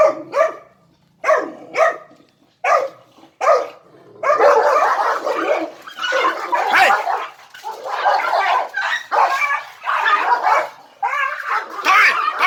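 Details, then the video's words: A three-month-old puppy showing alpha dominance gives sharp yips and barks, first in short separate bursts, then in a dense run of rough, overlapping barking and whining. "3 months old puppy alpha dominance!"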